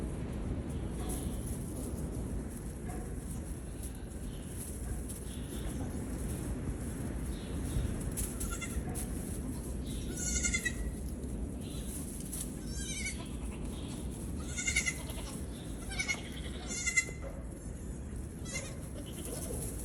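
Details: Baby Nigerian goats playing and jumping around: several short wavering bleats cluster mid-clip, some quick and trembling, over steady low rumbling background noise.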